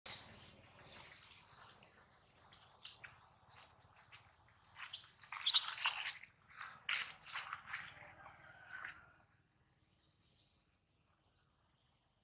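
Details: Baby monkey Adler, held in the hands of a small monkey, cries because he misses his mother and is hungry: shrill, high-pitched wailing, steady at first, then broken into sharp bursts. It falls quiet after about nine seconds, with faint squeaks near the end.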